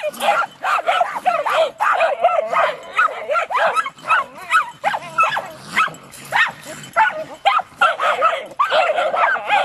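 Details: Several Jagdterriers bay at a raccoon, the young dogs seeing one for the first time while another dog joins in; dense overlapping yips and high barks continue steadily with short breaks.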